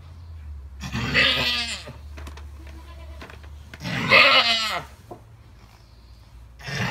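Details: Alpine goat giving birth to triplet kids bleats loudly twice, about three seconds apart, each cry a harsh, wavering, strained bleat lasting roughly a second, with quiet shuffling between.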